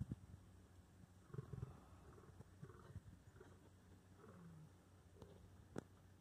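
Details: A male lion in Samburu National Reserve, 25 May 2019, gives deep, rumbling growls to warn younger lions away while he eats inside the bush.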